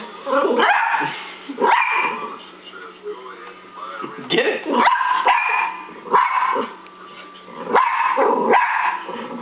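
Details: Pet dog barking at a laser pen, giving short, harsh barks in uneven bursts about once a second or two, over television speech and music from an insurance advertisement.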